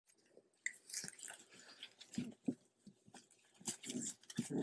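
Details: A litter of 3-week-old Golden Retriever puppies, just learning to play and wobbling around, give soft grunts, snuffles and brief squeaks amid mouthing and chewing noises.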